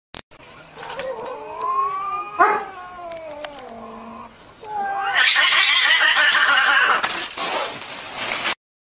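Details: Cats fighting, with drawn-out wavering yowls that rise and fall over the first five seconds, then a loud harsh burst of screeching and hissing scuffle that ends abruptly.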